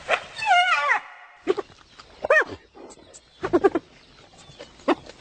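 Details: A spotted hyena (Crocuta crocuta) gives a wavering, quavering cry, then a string of short, arched yelps and giggling, laugh-like bursts.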